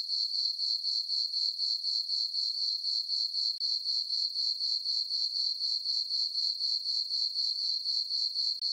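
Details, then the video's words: Night-time crickets in a summer meadow on a farm under a full moon and dark skies: a bright, steady trilling chirp repeated about four times a second, uniform throughout, with no other noises. "Cricket chirping sounds for sleeping"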